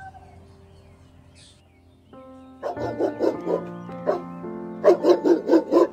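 A pit bull gives quick runs of short, sharp barks, about five at a time with a brief pause between runs, over steady background music.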